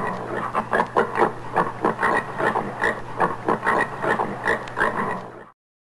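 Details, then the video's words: Rough, pig-like grunting of a common warthog, a dense string of short snorty pulses lasting about five seconds before cutting off, a faint steady hum underneath. "Guziec. Odgłosy Guźca. Dźwięki Guźca. Odgłosy jakie wydaje Guziec. Jak robi Guziec?"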